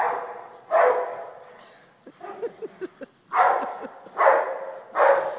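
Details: Four strong dog barks spaced unevenly, with a run of faint, short, higher yelps or clicks in the quieter middle stretch.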